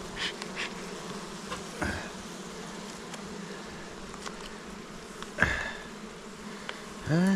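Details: Kept honey bees at a hive near Jirisan, Korea, where the beekeeper notes bees died after a poorly made pollen patty; a low, steady droning hum runs throughout, with scattered clicks and knocks.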